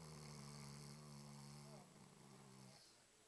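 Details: Diesel, a dog, snores with a low, droning, buzzy breath for nearly two seconds. After a brief break comes a shorter, softer buzzing breath, then the sound fades to quiet.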